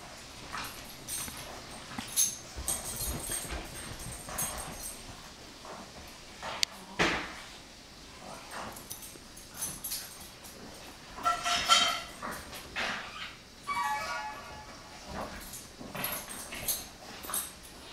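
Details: A 5-month-old Pug puppy and a 1-year-old Pekingese play together indoors. Scuffling, thumps and rustling are followed by short whiny yelps and squeals later on.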